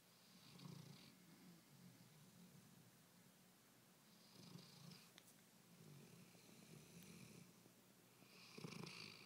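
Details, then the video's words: A small dog asleep, snoring softly in slow breathy rasps roughly every four seconds, each snore a low rumble with airy hiss, in a quiet indoor setting. "Tiny snoring"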